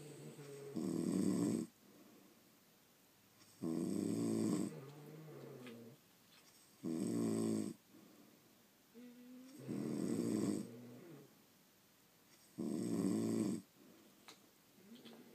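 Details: French Bulldogs sleeping indoors, heard over a long overnight stretch: loud, rasping snores roughly every three seconds, each a noisy burst about a second long with quieter wheezy exhalations trailing between them in a small quiet room.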